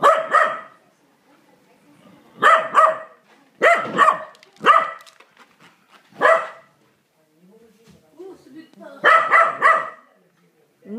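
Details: Corgi barking angrily at a vacuum cleaner indoors: sharp harmonic barks in quick bursts of two to four, spaced a second or two apart, with a woman speaking softly between bursts.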